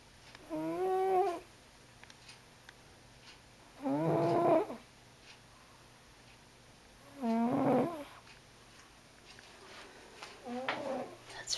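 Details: Freddie, a big fat white diabetic cat, snoring real loud while asleep: loud, rasping, wavering snores about every three and a half seconds, each lasting under a second, with quiet pauses between.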